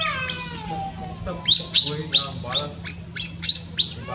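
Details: A newborn monkey in Cambodia, born up in tall trees, opens with a falling whistled wail, then gives a run of about eight sharp shrill squeaks roughly every third of a second, with a constant low hum beneath.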